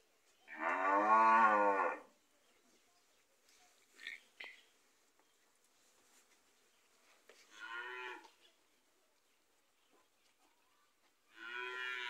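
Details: Gyr bulls on a farm in Morazán, El Salvador: a loud, full moo of about one and a half seconds, then quieter, shorter lowing calls several seconds apart, with faint knocks and clatter between them.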